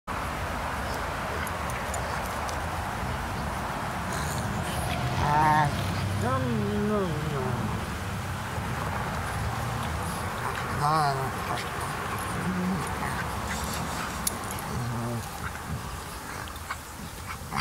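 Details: Two dogs at play, a 4½-month-old Frenchton (French bulldog and Boston terrier cross) puppy against a greater seeing mountain dog, giving wavering, whine-like vocal bursts around six and eleven seconds over steady background noise.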